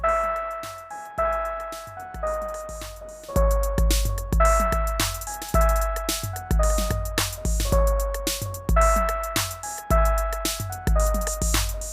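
Only electronic music is heard, with steady keyboard tones over a repeating drum beat and no animal voice.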